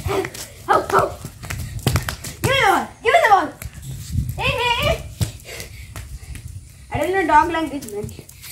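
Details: Seven-month-old Rottweiler and Labrador Retriever mix pet dog, indoors, gives several drawn-out whining, yelping howls that bend up and down, between bursts of human voices and thumps.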